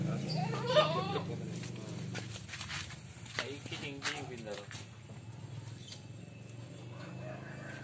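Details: Indonesian sheep and lambs bleating on a farm, a loud wavering bleat at the start and a quavering one midway, over background murmur.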